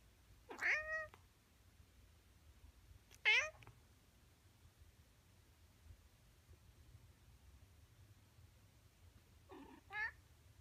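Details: Male Siamese cat calling in the morning: three loud, drawn-out meows with rich harmonics, the first two close together and the last after a pause of several seconds, over a quiet low room hum.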